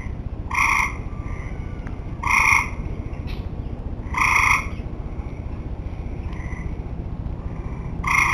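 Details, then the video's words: Late-summer tree frogs producing a series of brief, harsh, honking calls roughly every two seconds, with quieter distant notes in the gaps, over a constant low background rumble. "Tree Frogs Talking"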